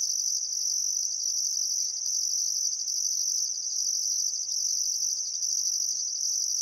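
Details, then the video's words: Crickets chirping at sunset on a still summer afternoon by the Barcoo River, Welford National Park, Outback Queensland, Australia: a steady high shrill trill runs throughout, topped by an even higher pulsed buzz recurring in bursts of about a second. "Australian Sunset Chirping Crickets"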